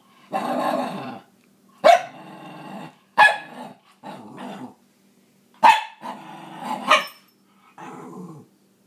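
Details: Maggie the scruffy Cairn Terrier argues about sharing her toys, mixing rumbling growls with sudden sharp barks, about seven bursts over nine seconds with short silent gaps, some growls ending in yelping snaps.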